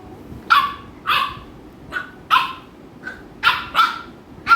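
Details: American Bully dogs Mikku and Ami at home in Kerala, Ami annoying Mikku: seven sharp, bright barks spaced irregularly over four seconds, each short with a strong ringing tone, over a low background hum.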